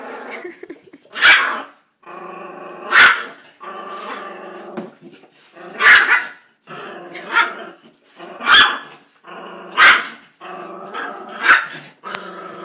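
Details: Indoors, a pit bull and a poodle play together, the poodle acting vicious; continuous rumbling growls punctuated by sharp barks roughly every one to two seconds, rising and falling in intensity.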